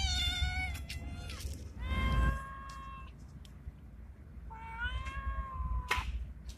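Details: Male street cat with a Bengal look, in heat, calling a female: a short opening cry, then two long, level, nasal meows about two and a half seconds apart, over low rumble.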